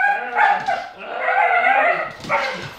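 A Bull Terrier makes odd, wavering, moaning vocal sounds that slide up and down in pitch.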